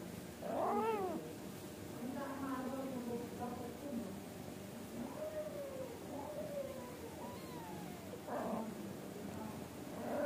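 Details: Angora cat mother with her kittens, said to be scolding them to sleep and behave: several harmonic meows, some rising then falling, others flat and drawn out, scattered over ten seconds with speech-like murmuring and a steady background hum.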